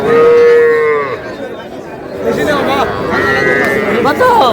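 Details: Young cattle at a Madaripur, Bangladesh cattle market where a farmer buys small bulls and heifer calves, 28 March: one steady, drawn-out high moo lasting about a second, then busy crowd chatter and bargaining voices, with a brief second call near the end.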